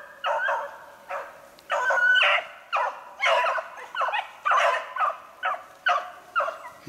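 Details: Beagles hunting snowshoe hare on 3/8/16 give a string of loud, harmonic baying barks, about a dozen bursts over seven seconds in an uneven rhythm, some notes drawn out into short howls.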